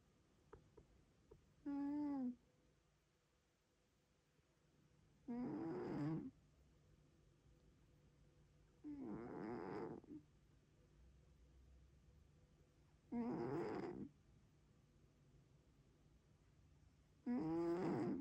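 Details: Pet cat snoring loudly indoors: rasping, harmonic-rich breaths recurring about every three to four seconds, each lasting roughly a second, with quiet pauses between.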